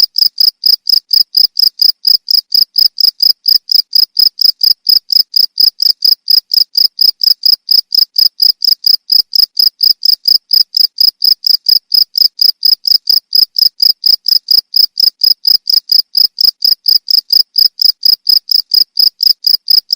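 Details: Cricket chirping, used as a tutor recording for training songbirds; short, bright, high chirps repeat steadily about four times a second at an even volume throughout, with no other sounds.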